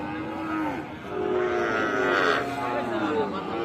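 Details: Sahiwal bull calves on sale at Ambari cattle market, Tangail, 13 January; several overlapping moos with wavering harmonic tones amid busy crowd talk, bargaining voices and some background music.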